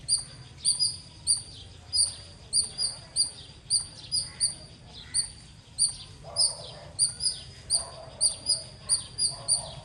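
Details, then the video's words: Chirping squirrel calls out in a long series of sharp, very high notes, some coming in close pairs, about two each second; faint lower sounds and steady low hum behind. "Loud Squirrel ❤️ Chirping Sounds - Squirrel Lovely sounds 🐿 | ఉడత అరుపులు మీరే వినండి.."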